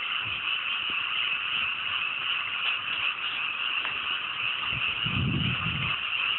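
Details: Frogs in a great chorus on a clear night in a cool mountain rice paddy just after rice planting in the countryside; dense, continuous overlapping croaks form a steady high buzzing wall of sound throughout, with faint low rumbles near the end.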